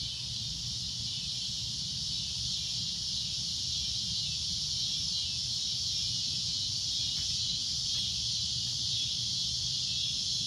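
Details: Loud shrill cicada drone at sunset, a steady high buzz filling the whole stretch, with faint ticks near the end.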